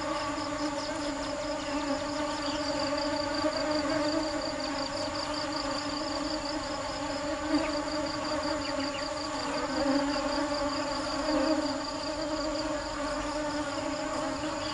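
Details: Nectar-seeking bees hum steadily, the deep buzzing tone wavering a little in pitch and swelling briefly around the tenth and twelfth seconds. A faint pulsing high whine sits in the background.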